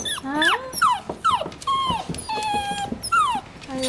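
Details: Several puppies wrestling together, giving rapid high whines, yelps and squeaky yips that slide down in pitch, overlapping and repeated in quick bursts, with a person talking softly in the background.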